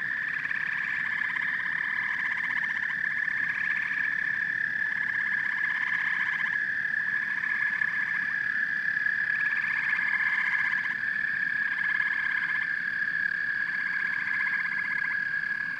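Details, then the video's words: Frogs and toads calling together in a continuous chorus: a steady high trill with pulsed, croaking bursts layered over it that swell and fade every few seconds, with no other clear sounds. "Frogs and Toads Symphony"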